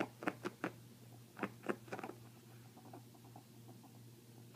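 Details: Two female pet ferrets playing, one deaf and one hearing: the hearing one dooks with soft clucking bursts, a sign of happiness or excitement, and the deaf one screeches, over a steady low hum. This is normal play, often while establishing dominance.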